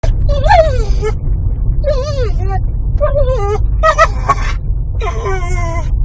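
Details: Eddie the dog vocalizes in a car each time it pulls up the driveway at the owner's parents' home, though normally quiet on the road: drawn-out, wavering whines that rise then fall, in five bursts over steady low engine rumble.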